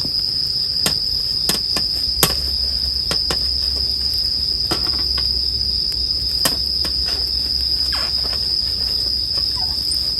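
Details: A continuous shrill ringing of bell crickets holds level throughout, while a bonfire snaps and crackles at irregular moments and a soft low rumble runs beneath, meant as relaxing sleep background.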